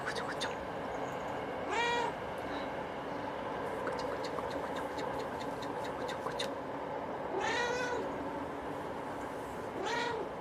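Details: A domestic cat meows three times, each call a rising then falling whine, spaced several seconds apart over a steady low background hum.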